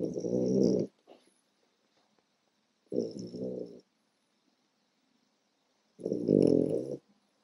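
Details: A tired 4-month-old French Bulldog puppy snores with deep, raspy, rumbling breaths, each about a second long, separated by quiet pauses of roughly two to three seconds.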